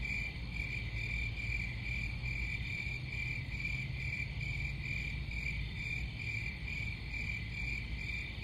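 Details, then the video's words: Crickets trill in rapid, regular bursts of high-pitched chirps, roughly two or more per second, above a persistent deep hum. "Crickets Sound"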